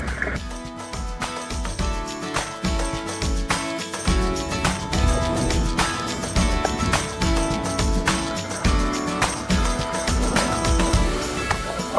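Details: Upbeat background music with driving percussion and guitar chords; no animal sound is heard.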